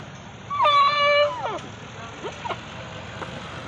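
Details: Playful goats; one loud bleat of about a second, rising sharply then holding a flat, harmonic tone before sliding down, followed by soft clicks and knocks over a steady hum.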